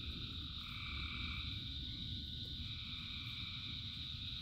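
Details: Frog chorus during rain, thousands of frogs: continuous shrill trilling in stacked layers, one band waxing and waning, with low steady rain noise throughout.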